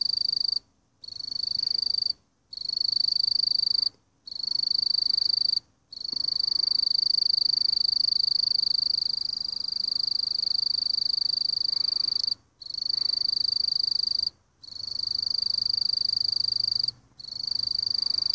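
A mottled bush cricket gives a steady, high, ringing trill broken by brief silent gaps.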